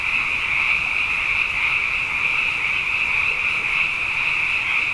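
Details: Night chorus of many frogs, plentiful after two consecutive wet years; countless high calls blend into a continuous, even, ringing drone that holds steady throughout.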